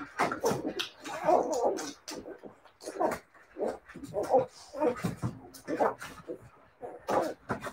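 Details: Siberian Husky puppies keep up a chorus of high whimpers and little yelps, short nasal notes tumbling over each other in irregular groups, with light indoor background noise.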